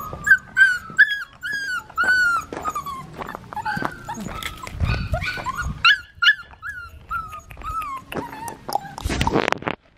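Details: Black tri female Australian Shepherd puppy whimpering: repeated high, bending cries in close strings, some sharper yips, and a burst of rustling noise near the end.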